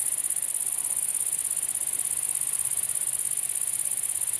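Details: A southern sickle-bearing bush cricket (Phaneroptera nana) in the Loire Valley, France, gives a high, thin, steadily pulsing stridulation without a break.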